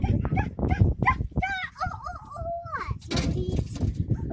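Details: Several Yakutian Laikas at Chochur Muran give wavering, whining howl-like tones in the middle of the recording. Thumps, scuffling and possible human voices surround them, and broadband noise follows.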